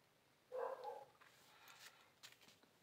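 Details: Cats wanting food after a fight; one short, bright meow lasting about half a second, followed by soft rustling and faint clicks in a quiet room.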